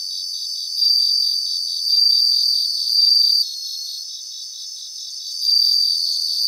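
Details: Bell crickets sing in a grassland in Japan, with clear high tinkling trills lasting under a second, repeated every second or so, then a pause before another trill, against dense pulsing insect chorus.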